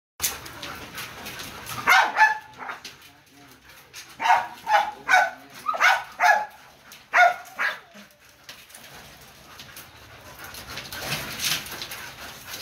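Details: Three-month-old Belgian Malinois puppy at a breeding kennel giving a run of short, high, yelping whines, about eight harmonic cries bunched between two and eight seconds, over steady background hiss and some handling noise.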